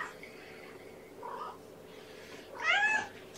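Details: Kitten or its mother just back from the vet, one short meow near the end after soft faint sounds, with a steady low hum of a small indoor room.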